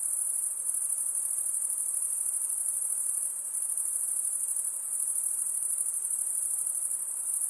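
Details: Insects giving a continuous, piercing high trill that never breaks, with a fine rapid pulse in it and only a weak hiss beneath.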